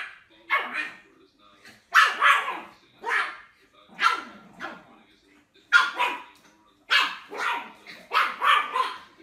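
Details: Dog in a compilation of barking puppies and dogs, giving about eight loud, harsh barks in clusters of one or two, spaced roughly one to two seconds apart, with clear quiet gaps between them.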